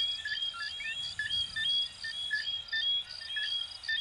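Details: Brief burst of a coquí chorus, frogs of Venezuela and Puerto Rico: several callers trading sharp, high chirps and upward-sliding whistles in quick succession over a continuous faint buzz.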